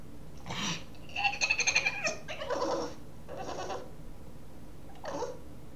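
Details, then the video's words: Boston terrier puppy wanting to play, making odd gremlin-like noises indoors: a series of short raspy yelps and whiny squeals, a wavering harmonic whine near the middle, then a final brief squeak, with a quiet room background. "My puppy makes gremlin noises"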